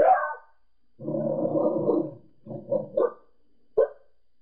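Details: Pembroke Welsh Corgi indoors barking at people seen outside next door: one high yelp, then a drawn-out rough bark lasting about a second, followed by a few shorter gruff barks.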